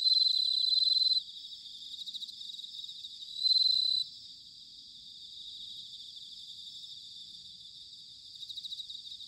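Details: Autumn chorus of bell crickets recorded at Sanuki, Chiba, Japan, using ZOOM H6 and TASCAM DR-05X microphones. A nearby cricket rings out in two loud, clear bursts of a second or more over a continuous shimmering background of many high trills.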